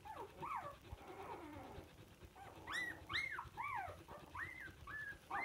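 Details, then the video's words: Samoyed puppies from the "O" litter, recorded 19 February 2022, give high, arching whines and squeals, several overlapping in quick succession, some rising then falling, with soft rustling beneath. "Щенки самоеда"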